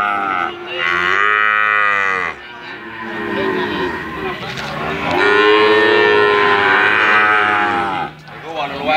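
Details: A calf calls melodiously with two long, tonal moos. Each holds a steady pitch and bends downward at the end, and a brief quieter pause separates them.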